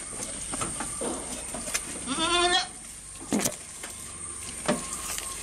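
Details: A goat eating nearby gives a single short, buzzy bleat midway, surrounded by quiet rustling, scattered sharp clicks and a faint constant hiss.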